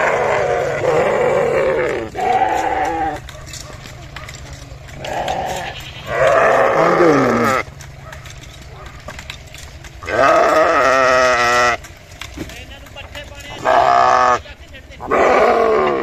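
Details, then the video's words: Sheep bleating repeatedly, short and long wavering harmonic bleats every few seconds, some falling in pitch, with quieter murmuring background between calls. "Sheep Making A Cute Noise"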